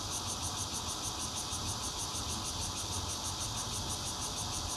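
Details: Zhongli, Taiwan, 16 June 2013: bear cicada chorus captured on a Nokia Lumia 820 from a fourth-floor home, a dense buzzing whine with rapid regular throbs about three per second and a faint low rumble underneath.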